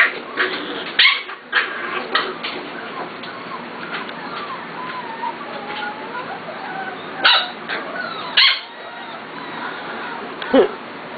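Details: Seven-week-old Corgi puppies roused from sleep and howling indoors: a few sudden sharp yelps and barks stand out against thin wavering whines and squeaks between them, with light music underneath.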